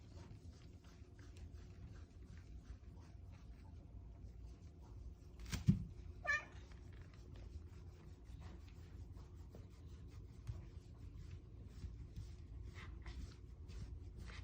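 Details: Very affectionate, clingy Bengal cat indoors gives one short, rising meow midway, preceded by a sharp knock, amid steady soft scratching and rustling close to the microphone.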